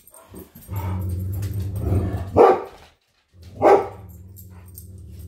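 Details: A Great Dane and a Poodle give two sharp, loud, deep barks about a second apart at something outside, perhaps a bird or squirrel in the yard, over a steady low hum, with silence between.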